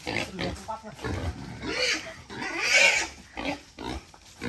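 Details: Captive wild boar, raised for eleven months on grass, vegetables and cold rice, squealing as a father and son catch it to weigh it for sale; a loud, harsh, noisy scream mid-clip, with men talking throughout.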